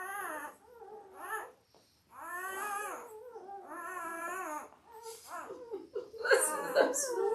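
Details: Labrador Retriever puppies, five days old, from a litter of five males and three females born October 15, 2023, cry indoors in a string of wavering nasal whines about a second long each, closing with a rougher squeal and rustling.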